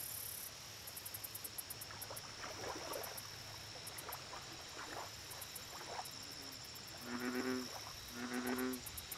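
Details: Two deep, harmonic croaks from an American bullfrog at a lake come near the end, after several seconds of quieter, scattered sounds. Fast, high insect ticking and a low background hum continue throughout.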